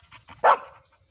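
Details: Ruby, a pet Labrador Retriever, 'talking': after a few faint soft sounds comes one short, loud, rough bark-like vocal burst, then a brief trailing tail and quiet.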